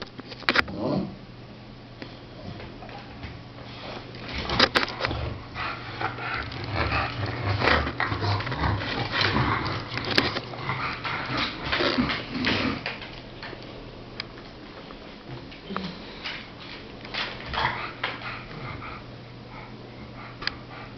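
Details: Chongqing dog, one of the first of the breed in Europe, sneezing indoors in a small room; a long run of short, harsh, breathy bursts and snorts of uneven rhythm, some sharp clicks, over a steady low hum.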